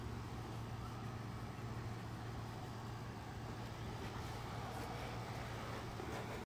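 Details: Quiet, steady low hum of passing vehicles and outdoor urban noise, with no animal voice.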